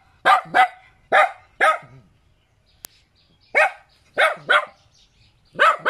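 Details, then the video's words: Cute puppy yapping in short doubled barks, high and sharp with falling tails, a quiet gap and a single click midway before barking resumes. "เสียงหมาเห่า หมาน้อยน่ารัก เห่าดีจัง"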